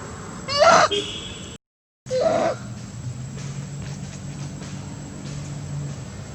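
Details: Monkey mothers Briana and Briget calling loudly for baby Baron to return, two abrupt, strained, harmonic shouts in quick succession, followed by quieter background with low engine hum.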